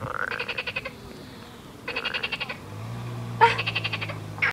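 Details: Frogs by a river in the Midi-Pyrenees, southern France, calling once people came near and falling silent when they left: rapid pulsed trills in short bursts, about one every one and a half seconds, over a low steady drone.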